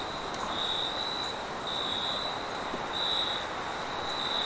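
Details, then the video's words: Late-night cricket chorus with high, thin chirping bursts spaced roughly every second and a half over a continuous insect hiss, a faint low background hum underneath. "Cricket sounds"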